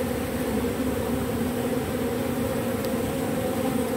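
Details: Robber bee gathering propolis off matchsticks. Constant buzzy drone holding an even low pitch plus a brighter overtone, unchanging for the whole stretch, with one brief tick partway through.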